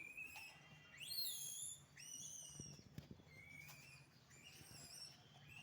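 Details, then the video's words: Naughty monkeys in a rural village give high, thin rising squeals and whistled calls, some sweeping upward and others bending down, about one each second, over a low steady hum. "naughty monkeys...real video ,no cut no sound effect..."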